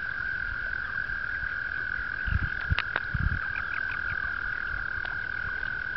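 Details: April 2009 mating season on a two-acre pond in upstate New York, where frogs keep up a continuous, even high-pitched trill; a few low thumps and splashes break in around the middle, over a soft rumbling background.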